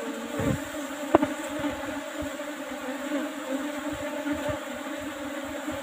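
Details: Quieter hum of Asian honey bees at an old box hive being harvested for honey; a soft, constant drone with faint overtones, one sharp click and a few light taps.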